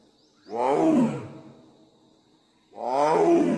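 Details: A Royal Bengal tiger in the Sundarbans jungle gives two deep, harsh roars, each swelling and then fading away.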